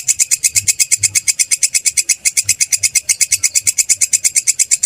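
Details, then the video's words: Rapid, even train of shrill rasping pulses, close to three each second, from a grasshopper called kecek or kerik, used as a model sound for training songbirds. "Suara belalang kecek/kerik"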